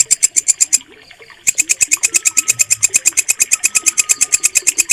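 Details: Bush cricket (walang kecek) recorded as a clear training sound for pet songbirds. It gives loud, sharp, high-pitched rasping pulses, about three per second, breaking off briefly near the first second before resuming. Faint whistles sound in the background.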